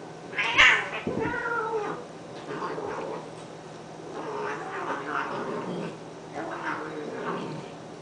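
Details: Two domestic cats named Honey and Lowell fighting indoors, as they do daily: drawn-out wavering yowls and caterwauls with harmonic bands, a sharp loud outburst near the start, then repeated moaning growl-yowls rising and falling over several seconds.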